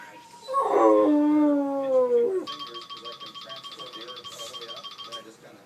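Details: Sarge the dog lets out one short, wavering howl in response to an iPhone ringtone, which then continues as a bright, repeating electronic tone after the howl fades.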